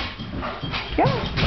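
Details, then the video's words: Great Danes Nick and Rylee at play on a couch; after soft rustling, one short, loud, tonal yip bends up and then drops, followed by a low huff at the end. "Great Danes playing"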